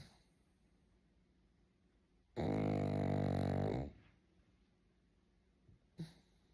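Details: Sleeping pug snoring indoors: a single loud, rasping snore lasts about a second and a half, followed by quiet breathing and a short snort near the end.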